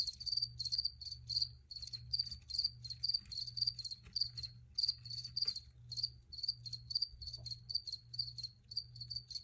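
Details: High-pitched pulsed chirping of crickets, bursts repeated several times per second in a brisk, slightly uneven rhythm, with a low background hum.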